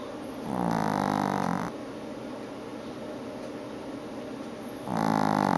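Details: Chihuahua bitch asleep during her afternoon nap, snoring steadily indoors: two droning, harmonic snores each lasting about a second, separated by a quiet pause of roughly three seconds of faint breathing and room hiss.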